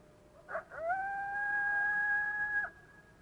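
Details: Coyote flat howl, a howl of constant pitch that barely changes and tapers slightly at the end; two short yips lead into a sustained level tone holding steady for nearly two seconds before cutting off.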